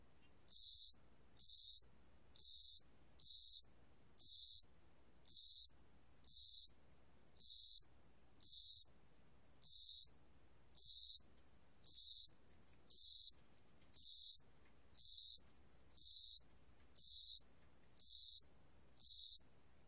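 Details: Cricket of spring and summer giving a long run of brief, shrill, buzzy chirps, roughly one per second with slightly uneven gaps, over near silence.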